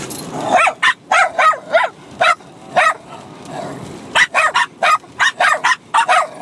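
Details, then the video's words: Bichon Frise puppy, 6 months old, and adult dog barking at each other while fighting and playing; bursts of high, sharp barks in quick succession, a short lull, then another rapid volley. "Bichon Frise Puppy & Dog Barking at each other Crazy for over 5 minutes"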